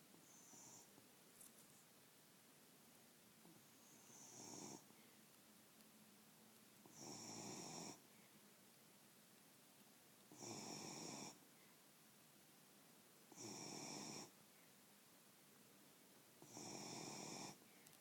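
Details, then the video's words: Sleeping beagle snoring steadily: harsh, rasping snores swell and fade in regular bursts about every three seconds, a few softer, fainter snores at the start, near-silent pauses between breaths. "snoring beagle"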